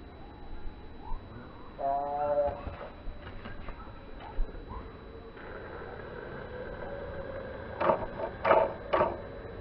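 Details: Two male house cats fighting in slow motion, a young fluffy uncastrated male attacking an older castrated veteran who strikes back; a short harmonic yowl near two seconds, then quiet and a run of sharp scuffling bursts near the end.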